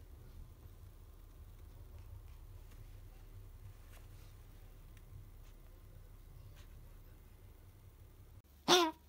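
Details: Female apricot Toy Poodle puppy Uran, 61 days old, sick with an infectious bronchitis: after quiet indoor room hum, one sudden sharp explosive burst, sneeze- or cough-like, breaks out near the end.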